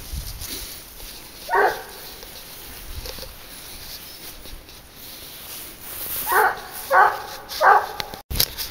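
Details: Leashed 22-month-old boar-hunting dog Garuo on the scent of wild boar. One bark, a quiet gap with faint rustling, then three quick barks about half a second apart near the end.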